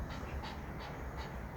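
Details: A Shih Tzu, reacting as its owner tries to take its favourite toy, pants in rapid, hissing breaths at about three puffs per second over a steady low rumble.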